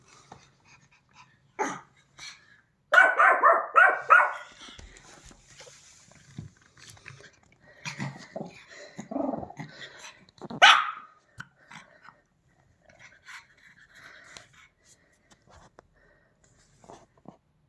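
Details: Pomeranian dog on a sofa reacting to a strange sound; scattered short barks, a brief burst of rapid yapping in the middle, long quiet gaps between, faint household noises.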